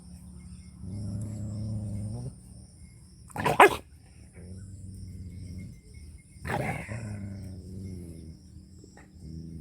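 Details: Angry dog in a village in rural Punjab, Pakistan, letting out two sharp, loud barks about three seconds apart, with low droning harmonic sounds in the gaps between them.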